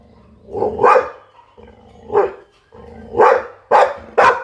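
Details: Barking Pit Bull, five harsh barks spaced unevenly over about four seconds, the last three coming faster, over a faint low hum.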